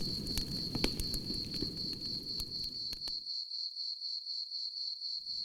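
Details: Crickets keep up a continuous high pulsing chirp beside a campfire, with the fire's pops and crackles heard over it for the first three seconds before fading, then returning briefly at the end.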